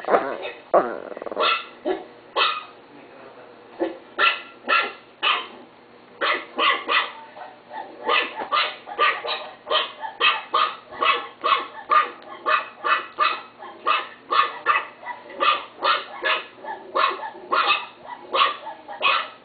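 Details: Pet Chihuahua barking in a long run of sharp, high yappy barks, mostly spaced about half a second apart, with brief pauses and some quicker doubled barks.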